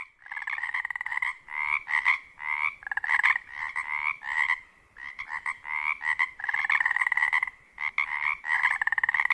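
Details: Pacific chorus frogs (Pseudacris regilla) at a wetland near a lake on Washington's Olympic Peninsula at dusk in spring: a dense chorus of many males giving loud, pulsed two-part croaks to attract mates in mating season.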